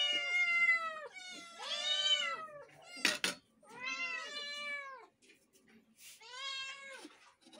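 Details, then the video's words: Kittens calling meow meow: arched, harmonic meows about a second long, repeated in a steady series, with a short clatter partway through and quiet gaps between calls. "My all kittens is saying meow meow"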